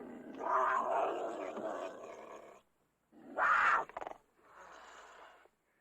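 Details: Cougar giving a drawn-out harsh snarl lasting over two seconds, silence, then a short loud spitting snarl and a softer rasping growl that dies away.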